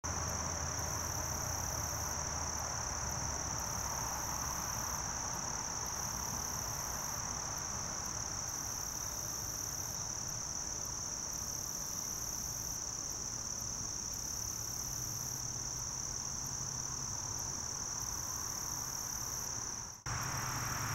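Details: A short-winged meadow katydid (Conocephalus brevipennis) sings a thin, steady, high-pitched buzz that runs on without a break.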